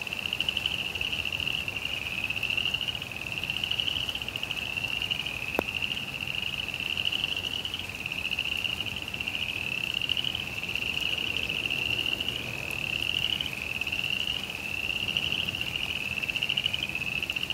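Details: Frogs in a suburban backyard during rain, trilling steadily in high buzzy bursts of roughly one second repeated without pause, one sharp click midway, light rain in the background.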